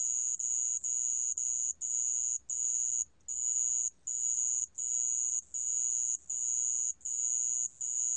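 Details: Sand cricket, from a 2020 National Institute of Biological Resources recording in Korea, gives a shrill high trill split into bursts of under a second, separated by short pauses about every 0.7 seconds.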